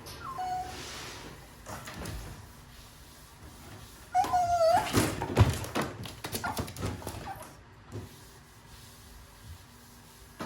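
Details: Japanese Chin puppy, a breed said to rarely vocalise, gives a brief faint whine early on, then a clearer high whine that wavers and falls in pitch, followed by thumps and clattering movement sounds.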